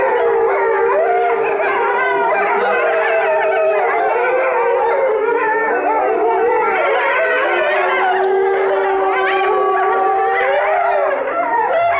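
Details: Pack of Chinese wolves at Tennoji Zoo, 23 February 2013, howling together: long steady notes stack with quavering, swooping voices above, a full overlapping chorus that carries on for twelve seconds and begins to break off at the end.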